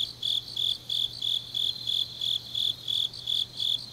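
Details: Autumn night grass insects from Changnyeong, Gyeongnam, chirping in clear high pulses about three per second with even spacing, over a fainter insect chorus and a low constant hum.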